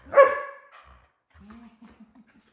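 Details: German Shepherd during a tug-of-war with its owner over her toy, giving one loud harsh bark followed by a soft low growl.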